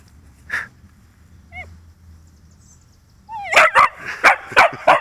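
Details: Dog, interrupted while fetching its ball, barks at a toy drone being flown nearby. A lone bark, a short rising whine, then a rapid run of about six loud barks.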